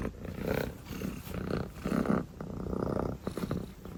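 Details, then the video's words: Sleepy dilute calico kitten purring while yawning, a low continuous rumble swelling and fading in soft pulses, with brief louder breaths around the second mark. "purring and yawning sleepy calico kitten"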